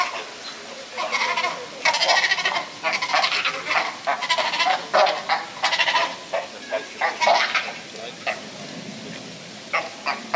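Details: Sea lion pup at Prague Zoo giving a dense run of loud, bleating, goat-like calls with rich harmonics. The calls are short and irregular and follow one another rapidly over a background of crowd murmur.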